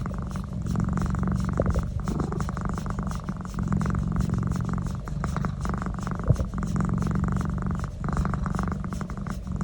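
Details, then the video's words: Cat enjoying a neck massage, giving a low, rumbling purr that rises and fades with each breath, about every one and a half seconds, and a brief tap of handling partway through. "Love neck massage and making noise"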